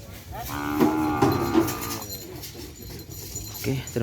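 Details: A single sustained moo lasting about a second and a half, steady and nasal with rich overtones, from cattle of Hajar Boss training in a new formation for Presidential Cup bull racing; murmuring people and outdoor rumble behind.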